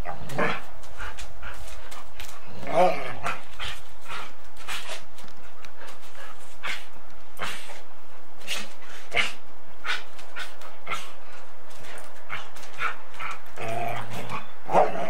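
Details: Golden Retriever and Samoyed playing bitey face and chasing each other, recorded on 8mm tape: scattered short rough growly bursts with a few whiny harmonic yelps near the end, over steady tape hiss.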